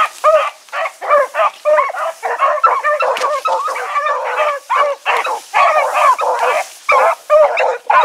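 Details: Four pack hounds named Choco, Dino, Johnny Ringo and Mingo, released for an evening run on 8-16-2014. Continuous, insistent barking from several dogs, each bark short and ringing, packed closely throughout.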